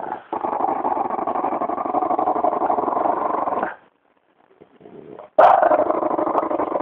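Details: French bulldog, described as disturbed, giving a continuous rough low growl for nearly four seconds, a brief quiet gap with faint sounds, then a sudden louder growl resuming.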